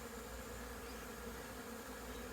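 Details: Many honey bees buzzing outside a very busy hive on 22 September 2022 while doing orientation flights, rising in figure eights to learn the hive's location; a dense, steady low hum with no clear breaks.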